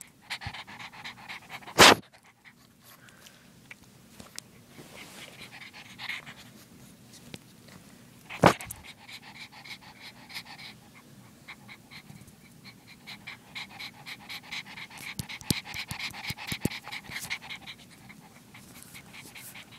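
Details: Female pug puppy breathing in fast, slightly wheezy pants with a nasal, tonal edge, steady runs of short pulses broken by two sharp knocking thuds early on.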